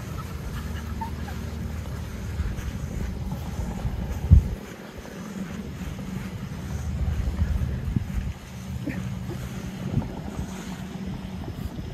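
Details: Outdoor wind rumbles against the microphone, with a sharp knock midway and a few faint scattered sounds, but no clear animal voice.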